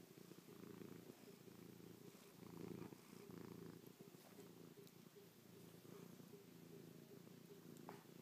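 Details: Close, pulsing purr from Chloe, a domestic cat licking, kissing and pawing a person's face after spending the night on their back; the purr grows louder around the third second, with soft rustles.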